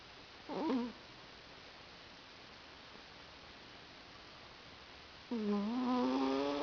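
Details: Sleeping cat snoring on a lap: a short nasal tone, a long quiet gap, then a longer droning, gently rising breath.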